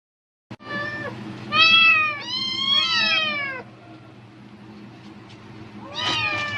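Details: Domestic cat meowing eagerly at the rustle of a plastic bag, apparently expecting food: a short meow, then two long, loud, wavering meows with rich harmonics, a pause, and a final rising meow near the end.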